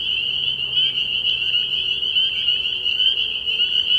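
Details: Night chorus of spring peepers at a frog pond in early spring: countless high piping peeps layered into one continuous shrill drone, steady in loudness, no other clear sounds.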